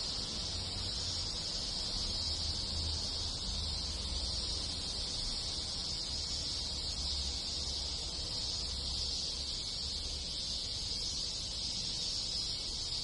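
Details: Many cicadas sing together with other insects in a Japanese village in rural countryside in summer: a dense, steady, high buzzing drone that never breaks, over a low rumble of distant background noise.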